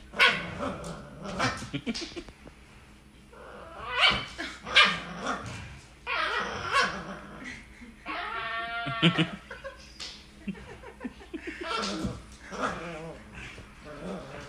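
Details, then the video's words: Two Corgis playing tug of war. Short sharp yips come in scattered bursts, then a wavering, whiny drawn-out cry midway, with more yelps and scuffling toward the end. "Corgi Tug of War"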